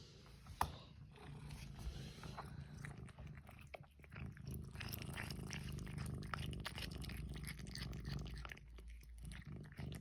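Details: Cat purring: a low, steady rumble throughout, overlaid with soft clicking and chewing-like noises and light background clatter.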